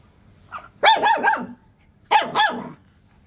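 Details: Rottweiler puppy barking: a faint short yip, then two loud high-pitched puppy barks about a second apart, each a quick double yap with a rough, slightly growly edge, in a quiet setting.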